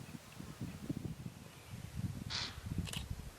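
An impala gives two sharp, explosive alarm snorts, warning of a nearby lion, over a low engine rumble.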